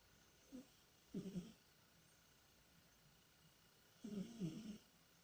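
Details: Sleeping house cat Tikhon snores and groans while dreaming: a faint short grunt, then two throaty low moaning bursts about three seconds apart, quiet room in between.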